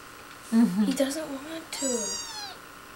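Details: Kitten named Spunky meowing indoors: two drawn-out, wavering meows with bright harmonics, the second higher and falling at its end, over a faint steady room hum.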